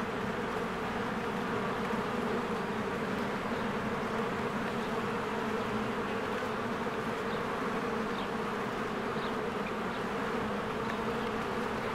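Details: At a beehive in spring, many honeybees come and go, their wings forming a thick, even hum without pause; small distant bird notes flicker faintly above the drone.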